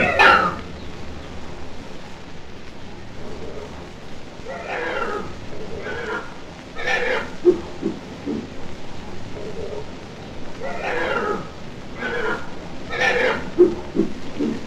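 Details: Red river hog at London Zoo, U.K., giving a series of rough, breathy grunts in irregular bursts, some louder and longer, separated by quieter pauses.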